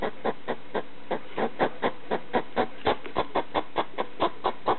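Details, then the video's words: Late-night barking of a pet hedgehog confronting a slipper, a fast series of short, rough clicks, about four per second, with a slightly louder burst midway. "Hedgehog making noise (barking) at a slipper in the middle of the night"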